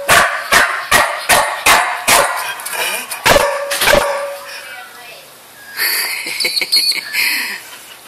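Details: Pet dog named Bud barking indoors, sharp broadband barks repeated roughly every half second for four seconds, then quieter scattered yips and clatter, with a person talking to the dog.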